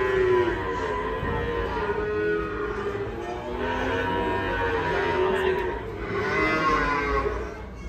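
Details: Rampaging cow coming down from a truck and falling into a ditch gives long, drawn-out lowing moos with wavering pitch, repeated several times, over a background of excited human voices and crowd noise.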